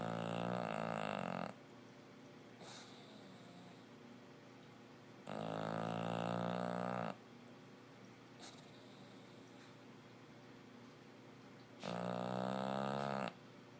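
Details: A sleeping female English Bulldog gives deep, rattling snores, each over a second long and roughly every five seconds, with softer, wheezy breaths between the loud snores.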